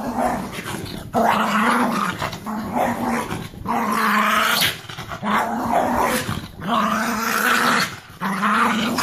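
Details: Pug excited and acting wild after a bath, wet. Rough, sustained growling grumbles in long bursts of one to two seconds, with short breathy gaps between them, repeated through the stretch.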